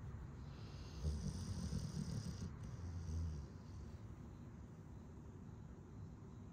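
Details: Pet dog snoring while asleep; low, rumbling breaths repeating quickly for a few seconds, then fading to quieter breathing.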